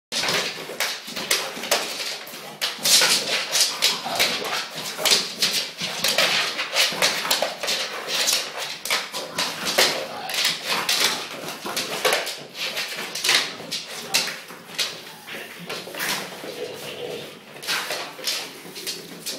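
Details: ['An English bulldog indoors makes rapid, irregular snuffling and snorting noises: sharp, breathy bursts come almost continuously, several per second, with brief pauses between them.']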